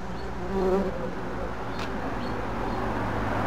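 A red-tailed bumblebee gives a low, droning buzz that swells briefly, then settles into a steady hum.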